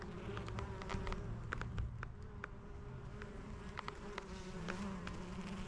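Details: Honey bees collecting nectar and pollen from white lavender: a low, steady droning hum throughout, broken by sharp clicks and squeaks from leather beekeeping gloves handling the recorder.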